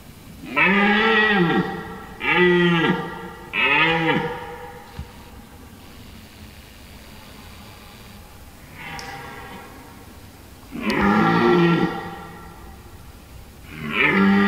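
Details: A red deer stag bellows in the forest during the rut in deep, hoarse roars, three in quick succession, then more after a pause.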